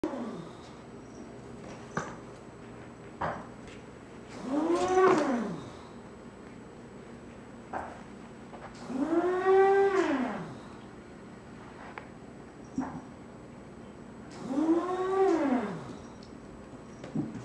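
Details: Foster kittens, watched by an English cream golden retriever, escaping their cardboard-walled play area; three loud arched meows, each about a second long, come roughly every five seconds, with faint thumps and rustling between them.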